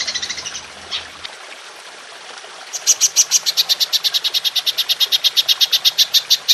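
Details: Golden grasshopper call in the long 'nembak' style, recorded to tutor songbirds. A soft hiss with scattered ticks gives way, after about three seconds, to a steady, rapid train of sharp, high clicks that runs to the end.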